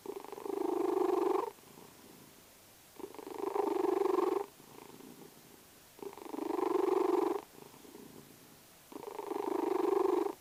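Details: Snoring house cat named Vasya, asleep and purring: four steady rasping breaths of about one and a half seconds each, evenly spaced roughly every three seconds, separated by soft quiet gaps.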